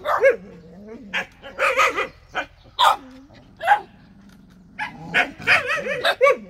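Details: Jindo dog giving short sharp barks mixed with higher yips and brief whining, in irregular bursts with quiet gaps between them.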